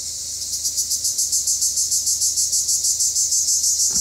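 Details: Cypriot black cicadas calling: a loud, high buzzing chorus pulsing in steady beats about three times a second, with a brief low thump near the end.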